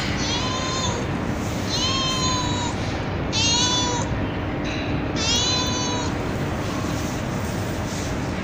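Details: Real street cat and kittens fed on a terrace at night: four clear, drawn-out meows, each about a second long with a gentle rise and fall, plus a shorter fainter one, against steady background noise.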